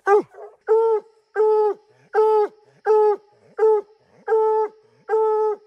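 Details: Bluetick Coonhounds barking at a tree: long, steady, tonal bawls of about half a second each, repeated at an even pace of over one per second, with a faint constant hum beneath.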